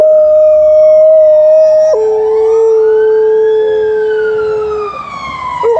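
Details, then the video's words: At 6 AM an Alaskan Malamute named Liza howls with a passing ambulance. A held tone steps down to a lower sustained note, while the siren's wide rising-and-falling arc sweeps over it. "Early morning howling of Alaskan Malamute"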